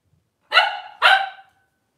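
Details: Blenheim Cavalier King Charles Spaniel puppies, 12 days old, from a litter of five born around New Year's 2023: two loud, clear, harmonic squealing cries in quick succession, each about half a second long, against a silent background.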